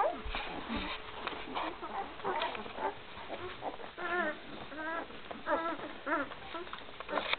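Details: Litter of one-week-old Great Dane puppies with their mother, recorded in 2012. Several puppies give thin, rising-and-falling squeals and whines, some in quick runs of three or four, over rustling, shuffling noise.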